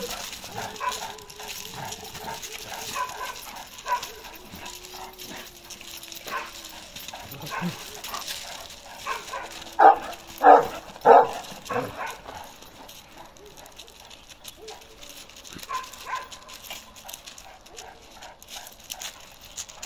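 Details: Karakırçıl Kangal Balyoz, a male now fifteen months old, barks two or three times in quick succession midway through, short sharp barks standing out above murmuring voices and faint background noise.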